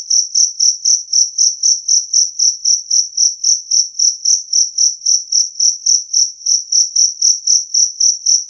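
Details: Two-spotted cricket (jangkrik kalung) chirping loudly and cleanly, a sound offered to chase off rats; evenly spaced shrill pulses, roughly four each second, very regular, with a quiet background.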